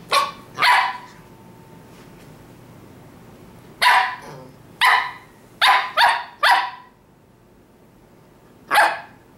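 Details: A 20-week-old Shetland Sheepdog puppy in a Halloween pony costume barks in short, sharp bursts: two at the start, then a cluster of five near the middle and one more at the end, with a faint steady hum between.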